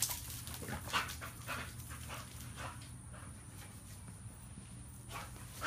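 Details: Dog panting in a home with a pitbull and a chihuahua: soft, breathy rasping bursts follow one another about every half second over a steady low hum.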